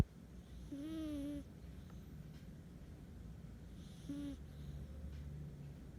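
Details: Kitten purring with a steady low rumble throughout, broken by two brief tonal squeaky mews, the first wavering near one second and a shorter one just after four seconds, in a quiet small room.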